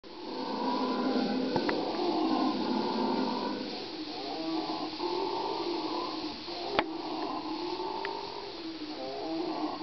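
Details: Howler monkeys calling in a loud chorus: long, rough, droning roars with banded harmonics, rising and falling in waves and overlapping each other, broken by a few sharp clicks.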